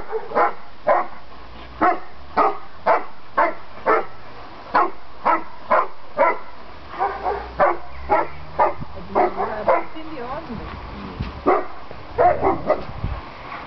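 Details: Landseer dogs playing noisily during a visit by a sister and mother, three dogs together; steady run of short barks about twice a second, some overlapping, with rustling background noise throughout.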